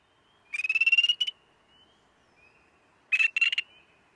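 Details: Spring Peeper territorial call played back at a frog workshop, described as a raspy trill like a chorus frog with a sore throat. Two short, buzzy, rapidly pulsed trills, the first longer, separated by a pause, with faint thin peeps between them.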